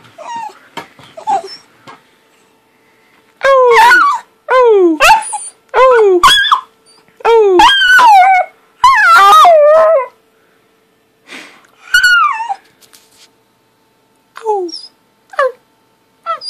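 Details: Puppy Bentley in a happy mood, tail wagging, gives a run of short howling yowls, each sliding downward, about one per second in a burst, then sparse yips and whimpers; quiet clicks between calls.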